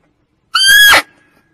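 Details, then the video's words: Female barking deer call used as a hunting lure: one short, loud, tonal cry with strong layered overtones, held level for about half a second before breaking off, in a quiet background. "Suara Kijang betina untuk p1kat"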